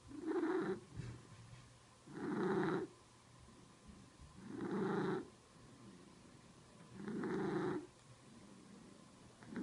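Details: Domestic cat purring indoors, a rough buzzing rumble in long breaths, about four drawn-out surges each roughly two and a half seconds apart with quieter inhaled stretches between, no voices over it.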